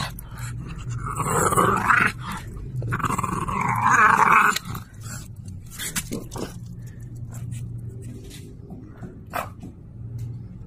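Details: Indoor French Bulldog growling while playfully tussling over an object with a person. A loud, rasping growl lasts about four seconds, then fades into quieter grumbles amid scuffles and taps.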